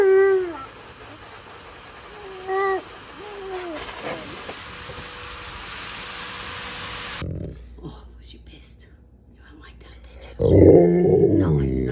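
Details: Alaskan Malamute named Tonka yelling and complaining during a bath he hates: a few short, bending, moaning howls rich in harmonics with pauses between them, then louder mixed vocal sounds near the end amid bathroom background noise.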